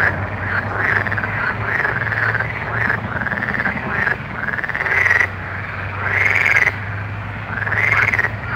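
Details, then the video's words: Frogs calling at night, a chorus of arching croaks near the upper-middle range overlapping one another, roughly forty calls a minute with uneven spacing, over a steady low hum. "Soothing Night Frog Sounds"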